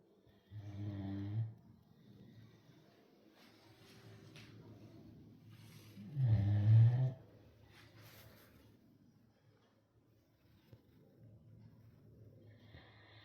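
A Great Dane snores in deep, rumbling bursts, with long quiet breathing between them.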